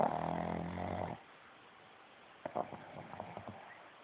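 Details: Snoring pug recorded on a phone: a sustained buzzy snore with layered low harmonics for about a second, then near silence broken by several short snuffling puffs.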